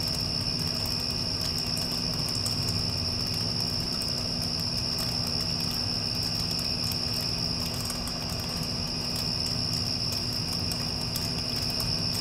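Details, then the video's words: Unbroken high cricket trilling follows a passing storm. It wavers slightly in strength at times, layered over the low, even roar of an air conditioner. "Cricket Sounds with Air Conditioner (After Passing Storm)"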